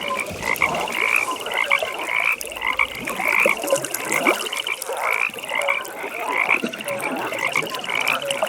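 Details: Chorus of frogs at an evening pond: high, buzzy pulsed trills repeat in overlapping waves several times a second, forming a continuous throbbing rattle with no other sounds present.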